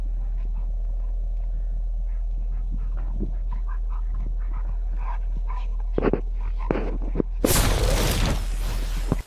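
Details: Two Golden Retrievers whine and yelp in eager, uneven bursts over a low engine rumble, excited on arriving for a seaside camping holiday in Bude, Cornwall, in 2019.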